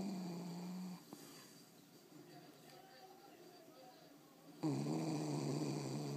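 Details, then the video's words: Loreto the dog snoring indoors, one long harmonic snore cut off after a second, quiet breathing, then another rough, buzzy snore starting near the end. "Perro roncando"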